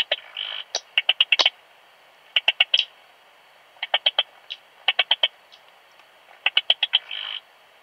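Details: Eastern Stripe-headed Cricket (Modicogryllus frontalis) recorded in Puntigam, Austria, on 10 June 2022: high, clear chirps in bursts of three to five, separated by short pauses, with a few brief buzzy trills between groups.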